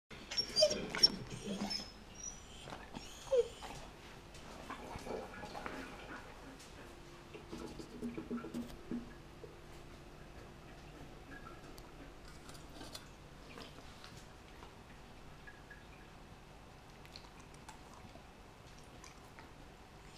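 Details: A Siberian Husky eats a whole raw mackerel, chewing noisily with wet crunching, smacking and licking, loudest in the first few seconds.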